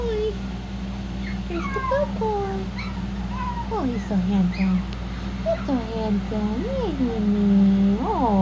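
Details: Shih-poo puppies: thin, high squeaky whines and yips, rising and falling, scattered through the clip, with a steady low hum and a woman speaking to them.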